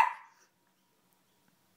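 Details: Audrey, a female shoodle puppy, barks excitedly indoors when asked where mummy is; a single sharp bark opens, fading within half a second into quiet.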